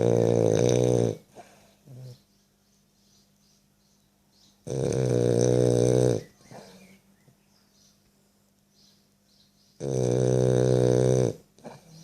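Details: A French Bulldog snoring. Three loud, rattling, harmonic snores about a second and a half long come roughly every five seconds, with quiet breathing between them and a soft short snort after the first.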